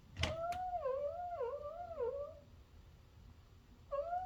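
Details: A 14-year-old senior Miniature Dachshund greeting its owner on return home with an unusual seal-like cry: long wavering tonal whines rising and falling in pitch for about two seconds, then a brief resumed whine, indoors in a small room.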